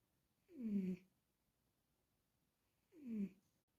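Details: Cat asleep in a small room, giving rhythmic snores: two short, tonal, downward-sliding groans roughly two and a half seconds apart, otherwise quiet.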